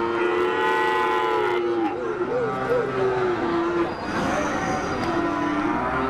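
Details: Limousin crossed with Peranakan Ongole (Pegon) cattle, with a calf of the cross named, recorded 18 May 2018 during Ramadan; a long level moo falling at its end, then wavering, undulating lowing, with other cattle calling and background noise.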